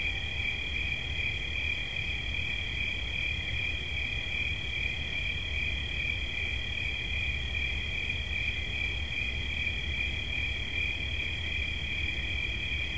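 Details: Continuous high cricket trill with two close shrill tones holding steady throughout. A soft low rumble sits underneath.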